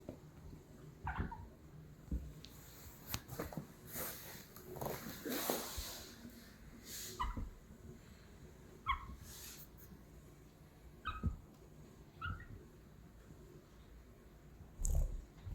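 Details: A guinea pig, jumping about, gives short, high squeaks now and then among soft thumps and rustling.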